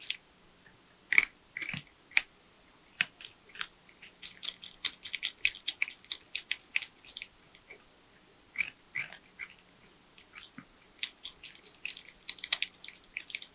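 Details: Porcupine eating nuts, bananas, sweet potatoes, apples and carrots, recorded close up for ASMR: crisp crunching and clicking bites in irregular bursts, with quiet pauses between runs of gnawing in a small, still room.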